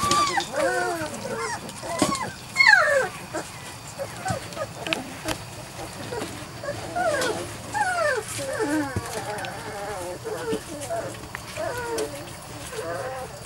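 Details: Biscuit's litter of Weimaraner and Weimaraner-Vizsla cross puppies at three to four weeks: many pups whining together in short arched squeaks, steady overlapping cries with a few knocks and handling noises.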